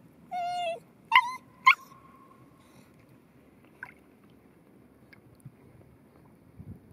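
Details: Cairn Terrier Rocky beside a bathing pond: one short steady whine, then two sharp yelps, the second trailing into a long faint whine, followed by quiet with a few soft clicks and rustles.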